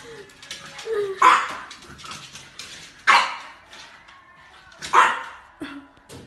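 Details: French Bulldog puppy: three sharp, loud barks spaced about two seconds apart, with soft whiny yips between them and a person's voice nearby.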